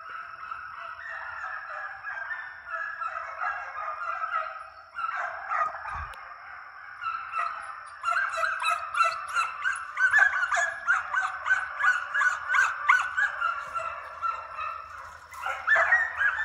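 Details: Young deer-hunting dog pups being conditioned in a fox pen, run after coyotes in summer, give a chorus of overlapping, nasal, honking barks and bays, several per second, with a steady high whine throughout.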